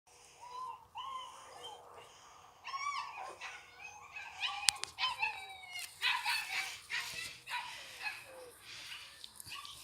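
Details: Chocolate Labrador Retriever puppies giving high, thin whimpers and squeaky yips, short upward-sliding cries scattered through the clip with a few sharper yelps near the middle, over soft background rustling.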